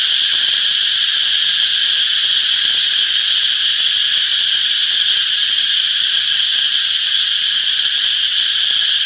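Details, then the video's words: Peaceful summer forest soundscape of cicadas: a continuous, sizzling high buzz with a quick, shimmering pulse, uniform in strength, with no birds or other noises standing out. "Relaxing Cicadas Chirping Sounds - Peaceful Summer Forest"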